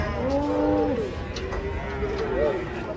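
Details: Sacrificial qurban cattle being unloaded from a truck in 2023: one clear, level, harmonic moo lasting under a second, then a second softer, longer moo rising slightly at its end, over faint background music and low hum.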